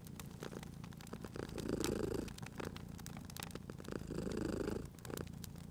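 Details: Purring cat at a fireplace: two long, strong purr swells of about two seconds each, deep and vibrating, separated by a quieter inhale, with fire crackle clicking in the background.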